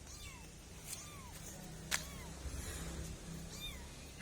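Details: Kittens giving four short, high, thin mews, each arching up then sliding down, spaced about a second apart, with a single sharp click midway and a low steady hum underneath.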